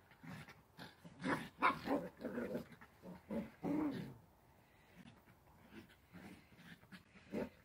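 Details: Dachshund at play letting out rapid, rough growly barks, dense and loud for the first four seconds, then trailing off into softer, scattered grunts.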